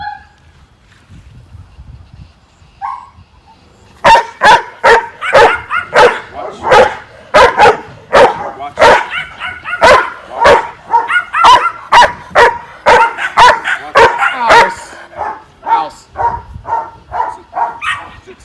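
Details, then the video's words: Trained guard dog barking on the watch command at an object previously used to make a threatening noise; after a brief quiet start, sharp barks repeat rapidly, about two per second, in a long steady series. "so as you can see he's barking at the object when we set the command he started to bark on watch"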